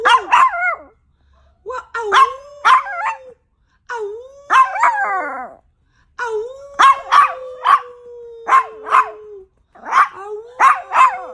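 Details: A Yorkshire Terrier nicknamed a 'wolf dog' gives quick yipping barks, some every half second, mixed with long smooth whines that arch upward then slowly slide down.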